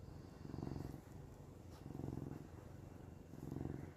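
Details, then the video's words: Cat named Samson purring on a camping trip as Nova snores: deep, steady vibrating rumble rising and fading in three even waves. "Samson purring"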